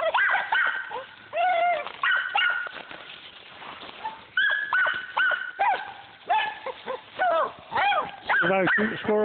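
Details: Squirrel dog hot on a squirrel, barking in rapid, high, yelping bursts, some drawn-out and whiny, nearly continuous, with other dogs chiming in.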